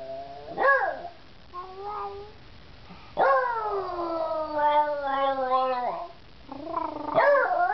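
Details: Beagle named Georgie singing after some persuasion: a sharp upward yelp, short whimpering notes, then one long sustained howl gently falling in pitch for about three seconds, ending with another rising yelp.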